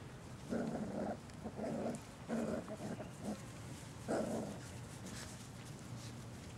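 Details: Litter of six puppies playing, Mac among them; a run of four close rough growling grunts in the first three seconds, then one more after a pause, each about half a second, over soft background noise.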